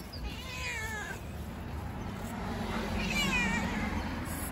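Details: Fluffy stray cat living outdoors among homeless cats fed by local residents, meowing twice: a wavering, slightly descending harmonic meow, then a louder rising-falling one after a pause, over a low outdoor rumble.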